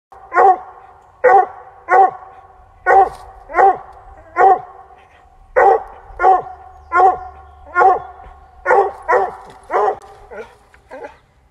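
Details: A Bluetick Coonhound trees a fox squirrel on a rainy October afternoon, giving sharp, ringing barks about once a second, its treeing bay. Bluetick Coonhound.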